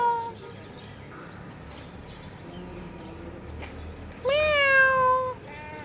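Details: A black cat gives one long, loud meow lasting about a second, rising briefly then falling slowly, followed by a shorter softer meow; a faint earlier meow and low background rumble are also heard.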